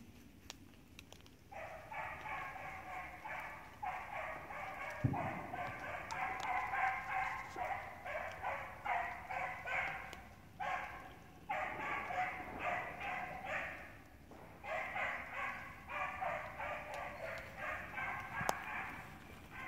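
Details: Six-month-old Beagle named Honey barking in a long run of rapid, tonal, slightly yelping barks grouped into bursts of several calls with brief pauses between them, over a low background hum.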